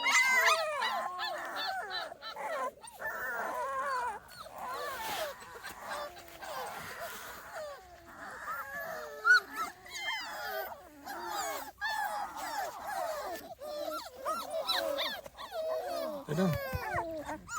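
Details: Small Munsterlander puppies, a 2.5-week-old litter outside for the first time with a visit from an older litter, give a dense chorus of high squeaky whimpers and rising-falling yelps, many voices overlapping continuously.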